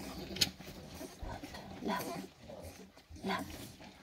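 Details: Five-week-old Staffordshire Bull Terrier puppies suckling beside their mother Rubis, filmed 2 December 2023; brief sharp squeaks and soft snuffling grunts come in short bursts roughly every one and a half seconds over a low indoor rumble.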